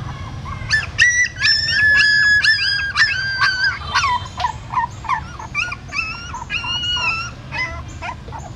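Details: Dogs whimper as a mother dog carries her newborn puppies in her mouth from a hole in a pagoda stupa in Siem Reap to another place. Dense, overlapping, high, tonal whines, some rising and some falling, follow one another rapidly over a low background rumble.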